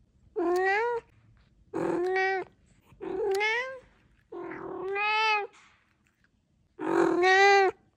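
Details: Pet cat chattering in a series of five clear meows, each under a second, bright and tonal with a slight upward bend, separated by short pauses in a quiet indoor room.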